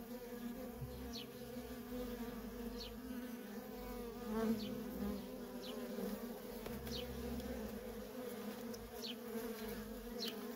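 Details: Honey bee workers in endless flight at a feral colony: a thick low buzzing hum, with regular brief rising-and-falling whines as single bees zip past close by.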